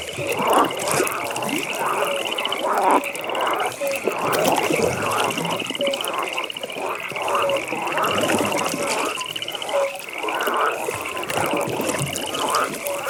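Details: Evening frog pond with many frogs calling: dense, overlapping rough croaks in irregular bursts, occasional short whistled notes, and a constant high buzzing trill layered across the whole stretch.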